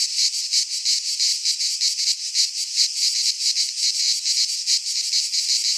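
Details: Singing cicadas from a Greek pine forest at midsummer: a high, grating drone that swells and fades in quick beats, roughly three pulses a second, sustained throughout.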